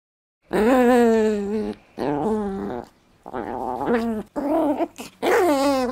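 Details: Dog indoors, giving five drawn-out, harmonic growling whines of one to one and a half seconds each. The pitch wavers and bends within each call, with short silent gaps between them and no other sounds.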